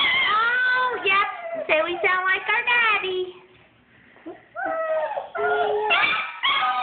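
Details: Shut in their whelping bed during room cleaning, a litter of German Shepherd puppies protests with bursts of wavering, bent whines and yelps, breaking off into a near-silent gap before resuming in a small indoor room.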